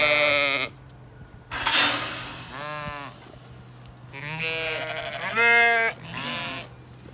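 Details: Zwartbles ewes on a regenerative farm in County Kilkenny, Ireland, bleating as the flock is moved to a fresh field during seasonal rotation; several wavering, nasal baas come in turns, with a brief noisy rustle between them.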